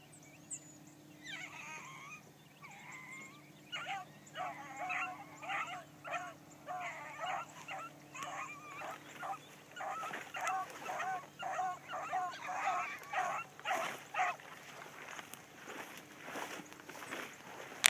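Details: Bee, a new Blackcreek gyp (female hound), running a trail for the first time one morning: a long series of ringing, harmonic barks, faint at first, then louder and quicker after about four seconds, near two per second.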